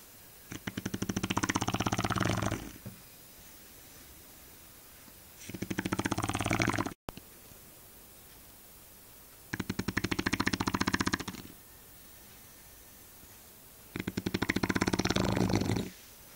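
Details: Sleeping Shar Pei Eva with steady, heavy snoring: four long, rough, buzzing breaths of about two seconds each, separated by quieter gaps of roughly two to three seconds.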